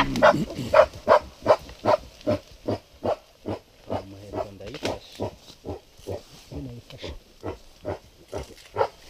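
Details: Mountain gorilla tracked in Volcanoes Park, Rwanda, giving rapid, rhythmic grunting hoots in an excited series while trekkers talk nearby.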